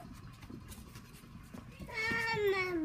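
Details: Coton de Tulear puppies playing indoors. After a stretch of quiet room noise, one puppy gives a single short, high, whiny whimper that slides downward in pitch.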